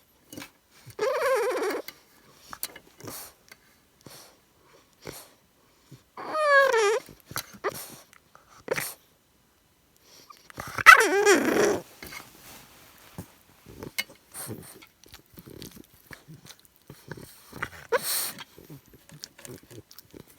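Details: Cruz, a 13-week-old English Bulldog puppy, burns off energy in a nightly pre-bedtime frenzy: three drawn-out, whiny, grumbling yowls that slide downward in pitch, heard near the start, middle and two-thirds through, with snuffles and small clicks between.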